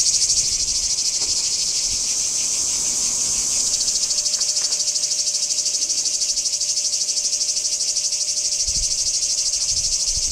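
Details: Singing cicadas at Kardamyli, 2013: a dense, shrill buzzing rasp that pulses a little over three times per second without pause, with a faint steady hum and a few soft low thumps underneath.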